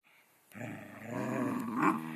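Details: Scottish Terriers wrestling; after half a second of near silence a steady, throaty growl starts and runs to the end, swelling into a louder, rougher snarl near the close.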